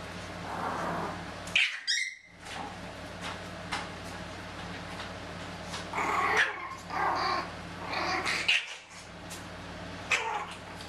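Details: Chihuahua puppies from two litters, three aged thirteen and a half weeks and two aged ten weeks, playing in a carport: short squeaky yips and whines in scattered bursts over a steady low hum, with brief gaps of quiet.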